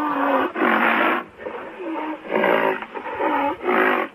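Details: Rhinoceros vocalizing in loud, repeated moaning bursts with curving, wavering tones, several calls overlapping, each burst lasting about half a second to a second with short pauses between.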